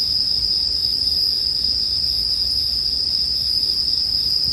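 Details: Bell cricket chorus heard alongside campfire ambience: a constant, shrill, even tone holding without pause throughout, with a quiet low-pitched hum underneath.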